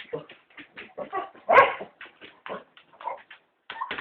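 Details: Three cocker spaniels begging to be taken for a walk, giving a rapid run of short yelping, whining vocal bursts with a louder drawn-out cry near the middle, then more choppy yips after a brief pause.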